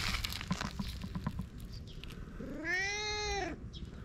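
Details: Single long meow from a fluffy cat, a smooth arched call lasting about a second after soft tapping noises and a low hum.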